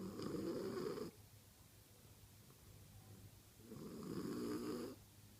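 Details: Female French Bulldog snoring in her sleep: two soft, breathy, raspy snores, each about a second long and roughly three seconds apart, with faint hushed breathing between them in a quiet room.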